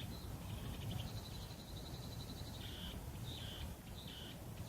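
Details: Meimuna opalifera cicadas in chorus on a wooded hillside near a home, South Korea, July 2016. Sustained buzzing tones break into shorter repeated phrases toward the end, over a steady low hum.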